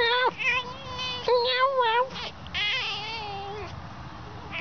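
A fox gives a run of high, wavering, whining calls, each drawn out and rich in overtones.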